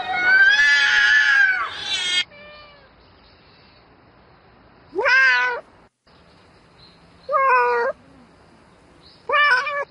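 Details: Domestic cat at night seeking a mate: one long, quavering yowl lasting about two seconds, then three short, sharp meows spaced about two seconds apart over quiet background.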